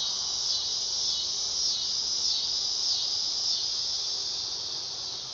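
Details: Continuous shrill buzzing of a dog-day cicada on a summer night, with faint wavering pulses across the steady drone.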